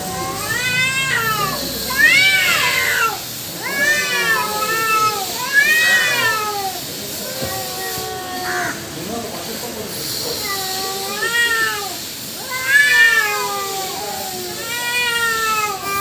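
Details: Cat fight among two female cats and one black male: repeated arching yowls in short bursts every couple of seconds, separated by brief pauses, with a faint hiss of background noise.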